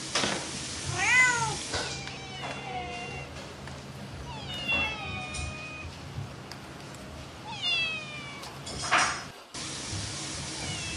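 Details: Mischievous house cat producing several meows, some sliding downward and others drawn out and level, irregularly spaced, against a faint constant hum.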